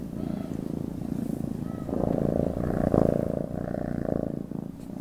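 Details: Cat purring continuously, a low pulsed rumble that swells slightly in the middle, with a few faint tonal traces higher up and no other clear sounds.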